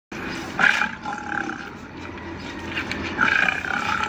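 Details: Lion at dinner in a wildlife park in Ras Al Khaimah, growling over its food; two harsh, rasping roar-like bursts about three seconds apart, with a murmur of background noise between them.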